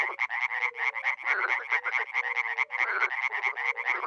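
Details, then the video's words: A chorus of many frogs and toads at a small spring pond in Miroslovesti, NE Romania: harsh rattling croaks tumble over one another at a rapid pace, with a few gentle low hoots. "Frogs and toads croaking"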